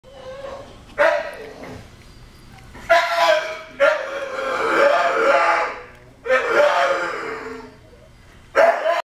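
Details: Duke, also called Lenny, a terrier available for adoption, recorded 12 April 2018 at 10:19 PM: loud, tonal barks and yowls in five bursts over nine seconds, one drawn out for about two seconds, with quieter pauses between.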